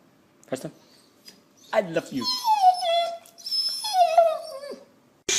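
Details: Pet dog making funny noises indoors: a brief sniff, then drawn-out whining cries that slide downward and waver, two long whimpers in a row ending with a sharp click.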